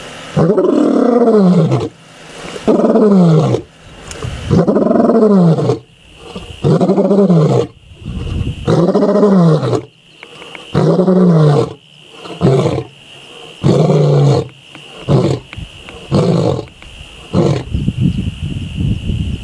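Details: A male lion of the Mbiri pride in the Sabi Sands, Kruger area, on 26 October 2023, gives a roaring bout: deep, throaty two-second bellows rising and falling, ending in quicker, shorter grunts, with a faint steady high hum behind.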